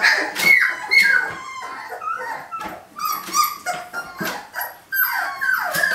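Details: Rambunctious day-18 puppies struggle to escape their kiddie pool, crying in repeated high whines that rise and fall, about two per second, mixed with sharp yips and scuffling.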